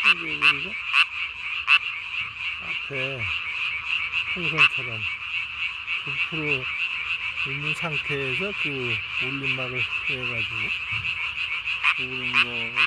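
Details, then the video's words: Tree frog calling at night on 3 May 2020, its vocal sac under the chin blown up as large as its body; a steady buzzing chorus band with scattered sharp clicks, and lower wavering harmonic calls coming and going underneath. "밤에 우는 청개구리 울음판이 몸통 만큼 크네요? #청개구리 #울음소리 들어보세요"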